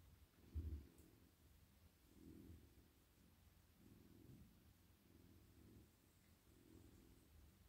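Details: Purring of a soft, friendly male domestic cat lying in a lap while his head, neck and body are stroked at night. The deep rumble rises in louder pulses about every one and a half seconds, following his breathing.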